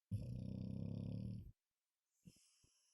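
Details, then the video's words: A Golden Retriever snoring: one long, low, rumbling rattling breath lasting about a second and a half, then quiet with a couple of faint soft clicks. "Мамочка Блонди Храпуша"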